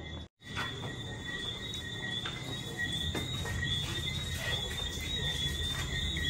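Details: Tree frogs calling at night after rain at Negril Palms, Jamaica: a dense chorus of steady, high whistled tones overlapping from many callers, with faint clicks and a low rumbling background.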